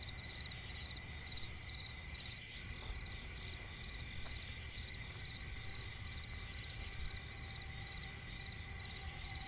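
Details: Chorus of crickets in a night forest by a swamp: several high, unbroken trills and groups of fast pulsed chirps, with faint faster clicks around the middle and a steady low hum throughout.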